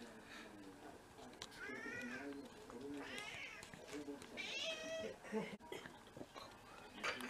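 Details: Mixed-breed pet cat from a six-cat home in Japan, filmed on a first-snow day in February 2023, gives a series of short arched meows, three or four in a row, mixed with people speaking indoors.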